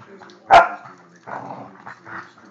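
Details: Border Collie on the attack gives one sharp, loud bark, then softer rough vocal sounds trail off over the next two seconds.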